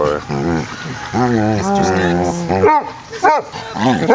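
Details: Two Basset Hounds playing, one an 8-year-old rescued foster male about an hour into his stay; drawn-out, wavering howl-like groans with rich harmonics, then short yelping barks, with a person talking over them.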